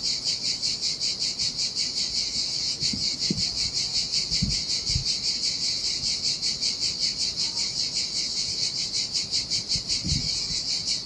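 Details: Cicadas sing in the summer heat beside a desolate beach on the Sardinian sea: a dense, shrill, rasping buzz, rapidly pulsing and unbroken for the whole stretch, with a few faint low thuds underneath.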